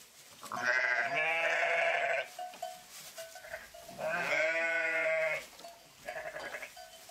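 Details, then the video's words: Sheep bleating: two long, loud, wavering bleats of about a second and a half each, then a shorter, softer one, with faint repeated bell-like tinkles in the background. "Pure Sheep Voice"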